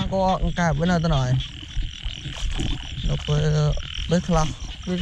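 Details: Frogs calling at night during heavy rain, heard while people go out with lights to catch them: a series of nasal, harmonic croaks, each bending up and down, in quick bursts over steady rain hiss and a low rumble.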